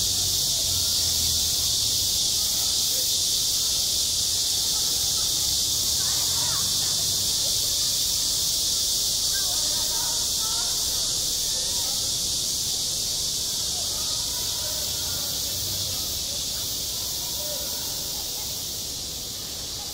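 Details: Cicadas singing at a school playground in midsummer: a dense, unbroken high-pitched hiss with faint rapid pulsing along its top, fading slightly near the end, while soft distant voices drift underneath.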